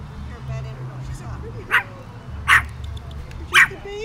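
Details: Shih Tzu travelling on its first vacation day in Monterey, California, gives three abrupt barks spaced about a second apart, with a low engine-like hum and faint human voices behind.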